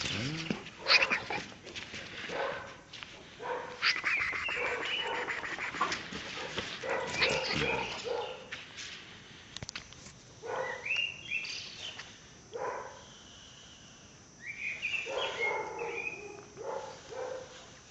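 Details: A one-year-one-month-old Caucasian Shepherd Dog named Pələng, in Azerbaijan, barks repeatedly in uneven bursts. Some calls rise into yelping tones, and a human voice can be heard in the background.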